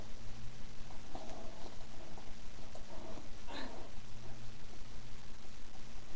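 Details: Five female Miniature Pinscher puppies born December 19, 2009, at play indoors: short high squeaky whines and a sharp rising-then-falling squeal near the middle, over a steady low electrical hum and room noise.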